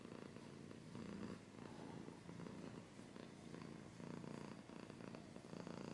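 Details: Close-up purring of a cat, a deep pulsing rumble that swells and eases in waves, with faint scratching rustles mixed in, ASMR style.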